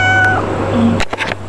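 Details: A domestic cat gives a short, high meow to call its owner, over a steady background hum.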